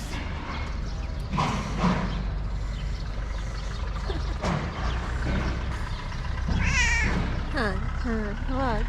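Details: Hungry tabby cat at a small shelter for abandoned kittens in Morocco, talking to its caretaker: several wavering, harmonic meows near the end, rising then bending down, mixed with a person speaking softly and steady background hum.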